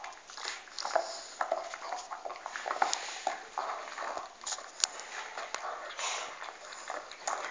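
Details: Pet dog gnawing on a bone: steady, irregular crunching and wet crackling bites, dense bursts of broadband clicks packed closely together with brief pauses, indoors.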